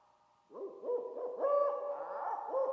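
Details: Olive baboons (Papio anubis) watching from acacia trees on the Serengeti plains give harsh, arching barks in quick succession. It is an alarm call spreading through the troop on detecting lions nearby.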